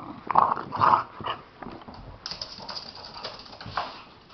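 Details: A Chihuahua rolling in play with a Bulldog indoors; two strong yelping growls open the clip, then softer scattered grunts and rustling from the wrestling.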